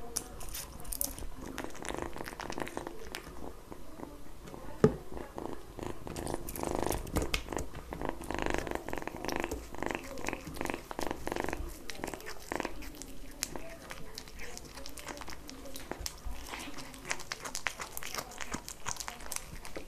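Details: Kitten purring while eating, recorded up close indoors: a steady, dense low rumble runs beneath wet chewing and licking clicks, swelling strongest through the middle stretch, with a single sharp tap near the five-second mark.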